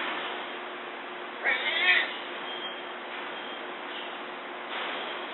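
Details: Newborn Amur tiger cubs, three born July 12–13, nursing with their mother in a behind-the-scenes zoo den, recorded by remote camera; a brief wavering mew near two seconds over steady background hiss.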